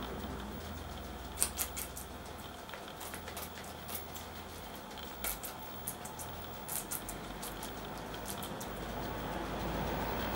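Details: Red pepper being eaten by two pet guinea pigs, agouti Poopie and white-and-brown Nacho: scattered wet crunches in small clusters, several seconds apart, over faint indoor hum.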